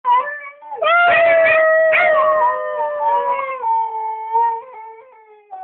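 A Siberian Husky gives a long, wavering howl that slides slowly downward in pitch.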